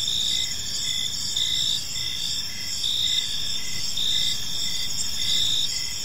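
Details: Gentle cricket chirping in a park at evening: bright continuous high trill plus clipped chirps recurring at a steady pace, with some low background rumble.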